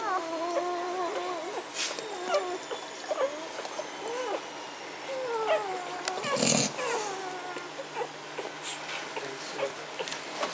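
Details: Young Magyar Vizsla pups of the Elsterhaus B litter, 14 May 2015, producing thin wavering whines and short squeaky whimpers throughout. A brief loud rustling thump interrupts midway before the soft crying resumes.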